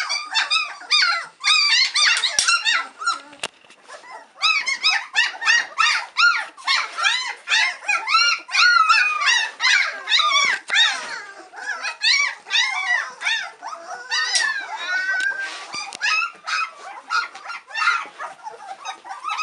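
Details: White Swiss Shepherd puppies at three weeks, hungry and impatient for mother Cova to return with a feed, squeal in rapid arched yelps, roughly two or three per second, a loud overlapping chorus running throughout.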